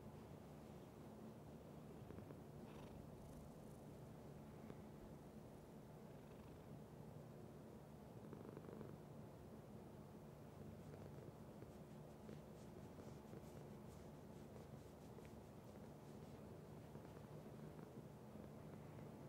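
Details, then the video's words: A domestic cat purring steadily: a continuous low rumbling vibration with a pulsing texture, held throughout, with faint scattered clicks and soft rustles above it. "Cat Purr"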